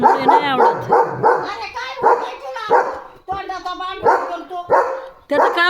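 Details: Leo, a German Shepherd, barks fiercely at a passing herd of sheep from in front of the gate, running and dancing; a rapid, steady run of harsh, ringing barks roughly twice a second fills the clip, with occasional human voices.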